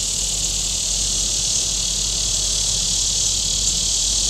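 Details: A warm-weather cicada chorus from the shore of Table Rock Lake in southern Missouri: an unbroken, sizzling high-pitched buzz over a faint low rumble.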